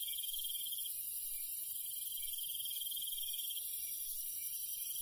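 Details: Crickets chirping at night in the countryside: a steady high, thin trill in long pulsed runs, with a constant hiss of other night insects above it and faint low rustling underneath.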